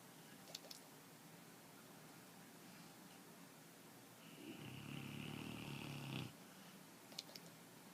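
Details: A sleeping dog, jowls flapping, lets out a single rattling, fluttering snore of about two seconds with a faint whistling overtone, set between quiet stretches and a few sharp clicks in a small indoor room.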